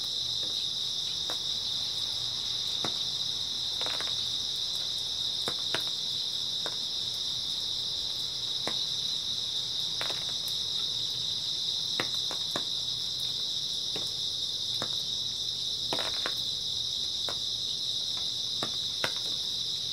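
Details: On an early autumn night, grass insects keep up an even, shrill, high trilling hum without a break, while scattered dry clicks and soft taps punctuate it every few seconds.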